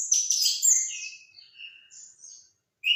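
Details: Orange-headed thrush singing a dense burst of high, sharp whistled and chattering notes for about a second, then scattered softer whistles and a brief pause before a loud note returns at the end.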